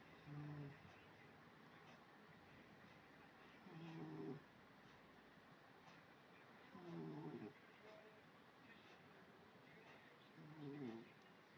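A sleeping British Shorthair cat snores softly, with low rumbling breaths every three to four seconds.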